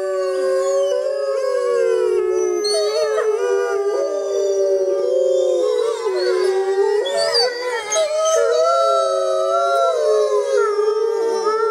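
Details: Group of grey wolves in the wild howling at night during a full moon in the jungle, many overlapping drawn-out tones with sudden dips and rising swoops, a steady, dense chorus throughout.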